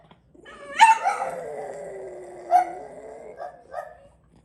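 A French Bulldog howls, a long wavering tone that slides downward, then breaks into short yips.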